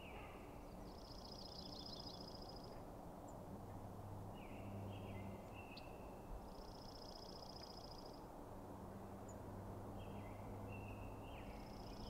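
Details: Bull elk at night, where the Sheriff, the biggest bull, is confronted by a challenger while other bulls share the area. Three high, pulsed whistles come roughly every three seconds, with lower curling notes between them and a continuous low background drone.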